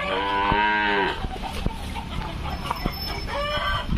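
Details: Punganur calf giving a short nasal moo with stacked harmonics, followed by a fainter second call, over steady background noise with scattered clicks.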